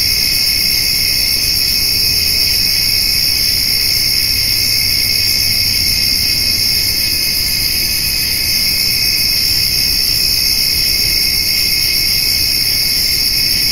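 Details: On a summer evening, crickets and grasshoppers fill the air around a feeding white-tailed doe and fawn; continuous high-pitched trilling in layered bands, dense and unvarying throughout.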